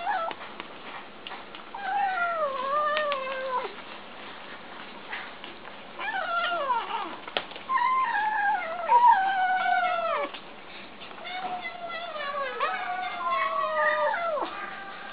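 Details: Kittens eating indoors and making funny noises: a steady stream of high, wavering, descending mews and squeaky cries, overlapping from several voices, with short pauses around four and ten seconds and a rough, muffled background.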